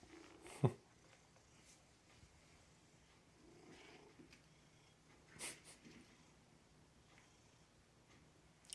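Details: Gandalf, a pet cat indoors, calls after midnight, apparently wanting better food: a short low harmonic meow at the start, a sharp knock, then a second soft drawn-out meow, with a person speaking to the cat nearby.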